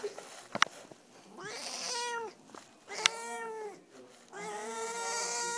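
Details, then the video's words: Domestic cat named Madeline, unhappy at being petted, gives three long drawn-out harmonic meows, each about a second, rising then falling, separated by short pauses, with a few sharp clicks early on. "Poor kitty hates pet pets."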